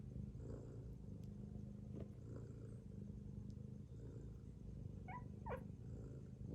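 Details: Sleeping domestic cat, a mother lying with her kittens, snores in a continuous deep rumble. Just past five seconds, two brief high chirping mews from the kittens break in.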